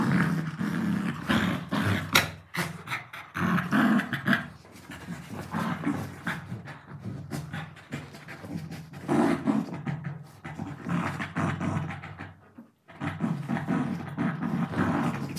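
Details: Dogs at play with a pillow, including a pet Labrador Retriever: repeated low rumbling growls and gruff huffs alternate with hard panting, broken by a brief near-silent pause before the scuffling resumes.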